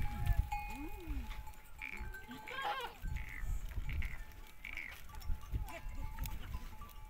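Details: Goats gathered at sunset on desert sand dunes, resting after foraging, give brief quavering bleats near the start and middle, over constant low wind rumble and a faint sustained ringing tone.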